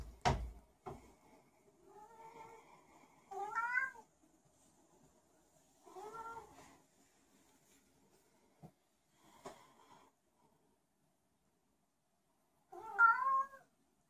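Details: A special needs house cat wanders about meowing for no reason. There are four separate, quiet meows spaced a few seconds apart. Some bend upward at the end. Small clicks and knocks are heard in a quiet room.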